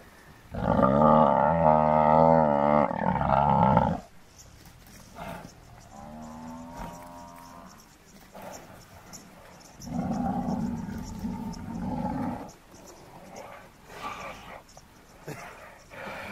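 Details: Downed African buffalo bull under attack by four male lions, bellowing in distress: a loud, rough, harmonic bellow of about three seconds, a thinner wavering moan, then another long hoarse bellow, with grunting and struggle noises between.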